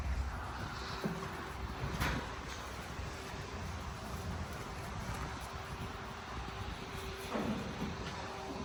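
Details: Steady low wind or vehicle rumble with a steady hum and a few faint knocks, no animal calls.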